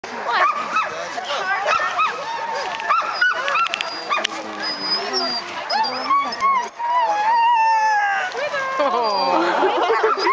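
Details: A pack of sled dogs in Aspen barks, yelps and howls in an eager, overlapping chorus before a run.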